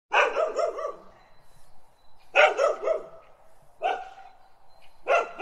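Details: Dogs barking in loud, harsh bursts of several quick barks, each burst followed by a pause of about one to two seconds, repeated four times.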